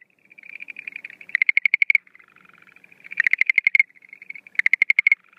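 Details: Schlegel's green tree frog at night in breeding season, April 2013, no female seen: a soft rippling trill leads into a loud, rapid train of sharp clicking pulses, the pattern repeating three times.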